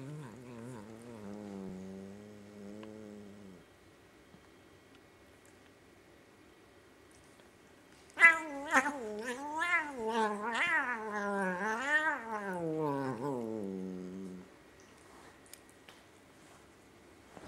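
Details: Burmese cat grooming a Devon Rex housemate extremely angrily; indoors, drawn-out moaning yowls with strong harmonics, a low wavering growl-moan for four seconds, then a louder rising and falling caterwaul sequence for about six seconds.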